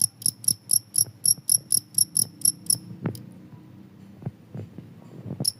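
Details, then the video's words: A cricket, its chirping claimed to repel rats, gives a fast run of sharp, high chirps for about three seconds, then falls silent apart from scattered low clicks and one final chirp. "suara jangkrik ampuh bisa mengusir tikus"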